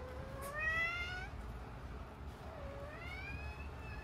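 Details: A calico-mix kitten and a cream Minuet cat are together. Two drawn-out meows rise in pitch, the first bright and climbing, the second starting low then sweeping upward and holding, over a faint steady hum.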